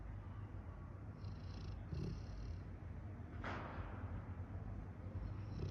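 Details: Rottweiler snoring while asleep, a steady low rumbling drone with a rattling texture throughout, a brief faint click midway.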